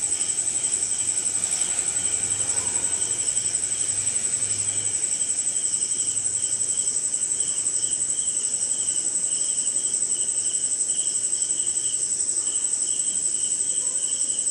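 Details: Night chorus of crickets in a rainy Indian forest: continuous piercing high-pitched trilling with fast even pulses, a second lower insect trill coming and going, and a faint low rumble early on beneath the rain hiss.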